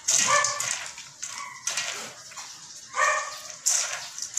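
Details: Belgian Malinois K9 dogs, described as disciplined and handled by their owner-trainer, give three harmonic, high-pitched bark bursts, each under half a second, separated by quieter gaps with faint whimpering tones between them.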